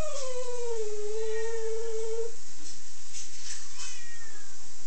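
An Italian Greyhound gives a long, high, nasal whine that slides gently downward and holds steady.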